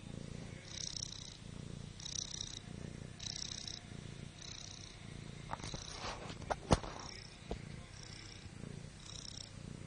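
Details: A female pet cat named Liza asleep on her back snores steadily, each raspy breath repeating roughly every second, briefly interrupted by a few sharp clicks and rustles midway.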